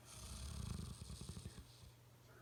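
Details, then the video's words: A Bloodhound napping on a couch snores with a deep, rumbling rattle that swells and fades. "Snoring Bloodhound"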